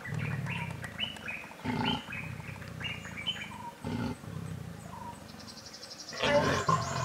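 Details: Wild Sri Lankan leopards (Panthera pardus kotiya), a pair mating in the bush in the afternoon, Yala National Park, Sri Lanka: deep, rough growling bursts every couple of seconds, with high chirping birds calling between them.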